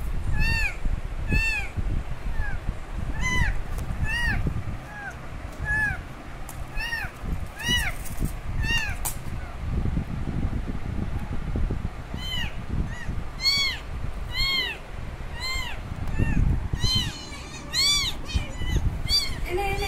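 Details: Kitten calling loudly for its mother after she took off, bursts of high, curving meows in quick clusters separated by short pauses, some faint voices and low rumbling noise underneath.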